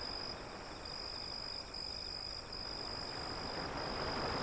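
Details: Crickets trilling by an alley with waves beyond, their high thin note pulsing in short beats at first, then held steady, over a loud continuous wash of surf.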